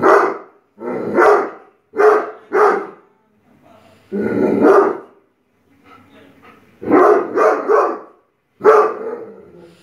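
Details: A nine-month-old Great Dane barking in fright at a Buddha statue: loud, harsh barks in uneven bursts, single and doubled, roughly eight over ten seconds, with brief quiet gaps and faint low murmurs between.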